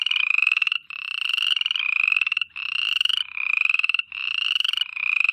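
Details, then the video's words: Night-time frog chorus of rapid rattling trills, each lasting about three-quarters of a second and following one another with only short gaps, the pulses even and insect-like. "FROGS NIGHT TIME AMBIENCE SOUND EFFECT"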